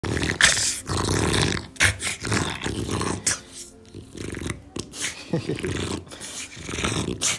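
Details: French Bulldog growling while its owner play-attacks it; rough, low growls come in bursts broken by short pauses, with sharp broadband huffs and rustling of the scuffle throughout.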